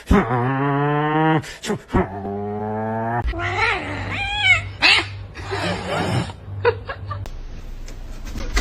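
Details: Domestic cat in a funny cats compilation: two long, steady, harmonic caterwauling wails, each about a second, then shorter wavering yowls, with a low hum, human voices and laughter around them.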